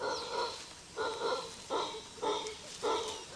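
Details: Lone male howler monkey calling at sunrise over a valley in the Brazilian rainforest as the land dries out, sound echoing through the forest: five hoarse, roaring bursts, each roughly half a second long, repeated about every 0.6 seconds.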